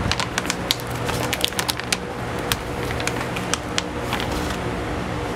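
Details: Soft music over a steady low hum, broken by sharp, irregular clicking and tapping noises, with no animal voice heard.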